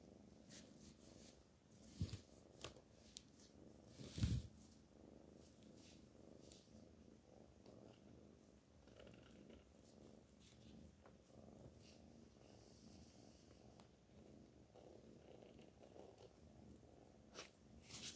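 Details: A cat named Black Panther purring softly indoors, a low steady rumble with a few sharp clicks and handling noises on top.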